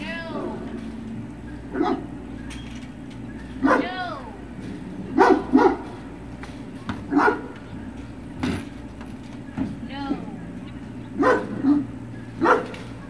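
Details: Great Dane puppies giving short, scattered yelping barks, some with rising-and-falling whiny tones, spaced every second or two over a steady low hum.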